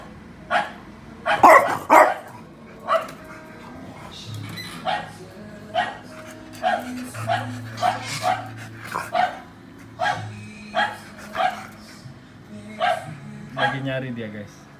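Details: Recorded barking of another dog, played to Miki the French bulldog in Indonesia to test his reaction: two loud barks open, followed by a steady run of softer single barks about every second, with faint music.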